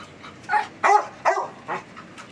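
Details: Male Beagle puppy in Chennai giving four short, sharp barks spaced roughly every third of a second to half a second, each a bright burst, with quiet indoor background between them.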